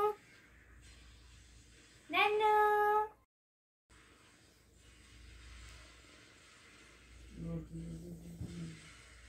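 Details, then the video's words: Angry cat or kitten kept indoors lets out one loud, strained meow lasting about a second, with room noise, a short gap, and a quiet low voice near the end. "So Angry Cat/Cute Angry Kitten/Cute Kitten"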